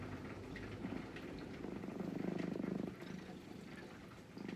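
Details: A brown-and-white cat waiting quietly while being gently stroked purrs steadily in a low rumbling pulse that swells and fades, with soft rustling from the stroking hand.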